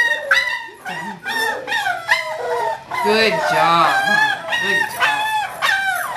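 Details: Kahlua, a five-week-old English Springer Spaniel puppy born 5 December 2011, recorded 14 January 2012. Continuous high-pitched whimpering and yelping, wavering up and down, in quick repeated cries, some lower moaning notes mid-way.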